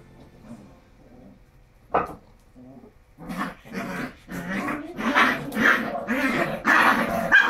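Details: Pet Japanese Shiba Inu vocalizing: after a sharp single yelp and a pause, a run of loud, rough barks or yaps follows about twice a second, growing stronger toward the end, with faint voices underneath.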